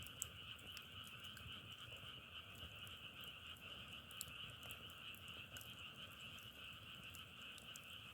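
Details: Steady massed croaking of frogs forms a constant high trilling hum, with frequent crisp crackles and pops like a wood fire.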